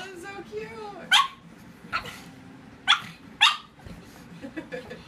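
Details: Pug opening with a brief whining, wavering tone, then four loud, sharp barks spaced roughly a second apart, with a person's voice heard in the background.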